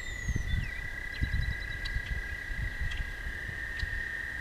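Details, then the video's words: At night by a walking path, toads keep up a steady high trill from start to end, with soft low rumbles and a couple of faint bird whistles and ticks. "Singing Toads"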